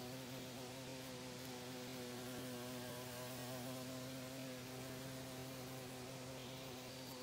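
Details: A female carpenter bee drilling holes in a house in Monticello, Georgia gives a steady, low, droning buzz with a rich humming tone throughout.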